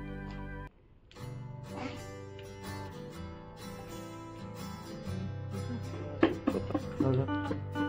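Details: Only guitar-led music is heard, with no animal sounds.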